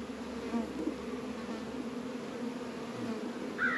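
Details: Honey bees working at a hive in an apiary on a warm 72-degree February day in northern Kentucky, winter, Warre and Langstroth hives; a steady low droning hum of many wings, with a brief higher call near the end.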